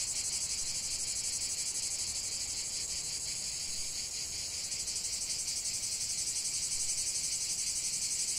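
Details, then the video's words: Cicadas in full chorus, a dense, shrill, continuous buzz held high and steady, throbbing in fast regular pulses about three times per second, with no other clear sounds. "45 min de chant des cigales"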